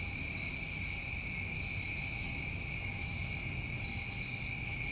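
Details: Summer night chorus of crickets in New England, an even ringing trill that never pauses, two steady pitch layers, with a few faint sizzling bursts higher up early on.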